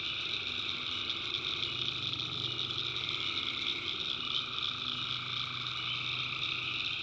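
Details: Chorus of tree frogs on a night in a swamp in the North Carolina backwoods. Many callers blend into a steady high-pitched drone over a faint, low, continuous rumble.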